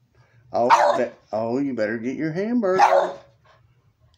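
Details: A 16-year-old Boston Terrier, nearly blind and seeing only about a foot, gives two sharp, harsh barks while playing with his hamburger toy, with a person talking between them.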